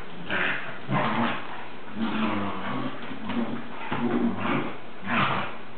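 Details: Lucy, a female English Springer Spaniel puppy, playing with her toy: short, low, muffled growling and grumbling bursts, roughly one each second, with soft rustling between them.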